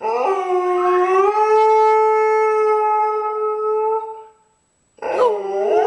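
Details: Alaskan Malamute singing: one drawn-out howl rising at the start, then held level and harmonic for about four seconds before trailing off. After a short silence a second wavering howl begins.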